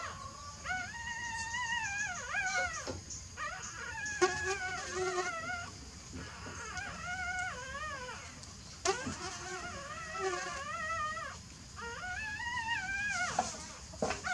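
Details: Newborn puppies sleeping, giving repeated thin, wavering whines and squeaks that rise and fall in short bursts, over a constant low background hum.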